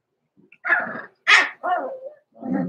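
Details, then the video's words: Overnight in the puppy pen, six-week-old blenheim Cavalier King Charles Spaniel pups Roman and Blue, born November 14, 2022, give four short, rough puppy barks and yelps in quick succession. "Roman and Blue are 6 Weeks Old!"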